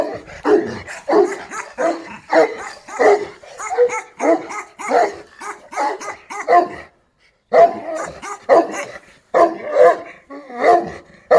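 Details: Rapid volleys of harsh Šarplaninac barks, several per second, broken by one short silence before the barking resumes just as fast.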